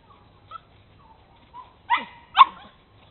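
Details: On an exploration tour, Bernese Mountain Dogs Mrs. Red and Mr. Green at Cape Bernese Kennel let out soft, scattered whimpers, then two louder, sharp yelping yips about half a second apart, in otherwise quiet surroundings.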